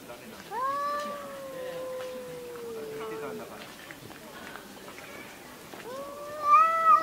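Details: Cat fight with a long drawn yowl sliding slowly downward over about three seconds, then a lull of low rumbling noise before a sharp rising scream near the end.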